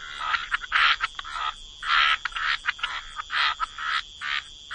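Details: Frogs at the waterside in wetlands giving distinct rasping croaks, about ten separate bursts in under five seconds, each short and buzzy with brief silences between them.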